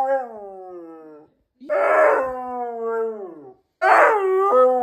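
A Siberian husky gives three long, wavering howls that slide gradually downward in pitch.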